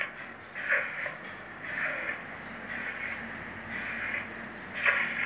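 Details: A vizsla with a breathing problem, probably heart disease or pharyngitis, breathes noisily and laboredly, with rasping, snort-like breaths repeating about once a second.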